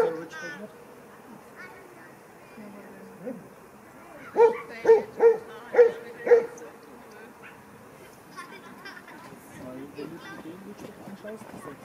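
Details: Five evenly spaced sharp barks in quick succession as Franzi, a 16-week-old Kleiner Münsterländer puppy, plays for the first time with mostly grown dogs; quiet murmuring voices before and after.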